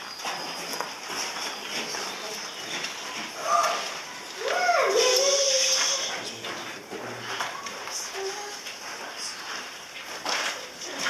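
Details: An Arabian sand cat at a zoo, Parc des Félins, gives a drawn-out mewing call that rises sharply, then holds a steady pitch.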